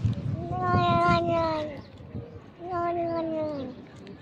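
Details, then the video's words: Pet cat making noises as it eats, two drawn-out, slightly falling, harmonic moaning calls about a second long with a short pause between them, over low background noise. "Cat Eating Noises Compilation - You Won't Believe These Cat Eating Sounds!"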